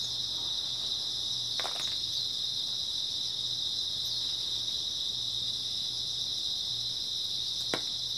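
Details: Grass insects calling together through an early autumn night, a relentless shrill buzzing band of sound, with a brief rustling knock near 1.7 seconds and a sharp click just before the end.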